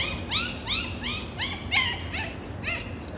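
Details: Golden Retriever puppies, seemingly learning to howl, give short, high, arching yelps, one after another about twice a second.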